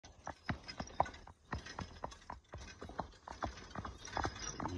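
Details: Horse in training: sharp clip-clop hoofbeats strike at an uneven pace, each a short crisp knock, with quiet gaps between steps and faint background rumble.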